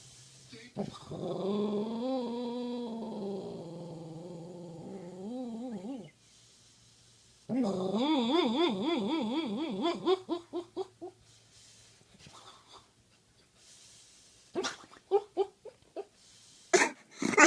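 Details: Dog making weird, long wavering howl-like moans with quavering pitch, two sustained bouts several seconds each, then short yips and sharp noises near the end.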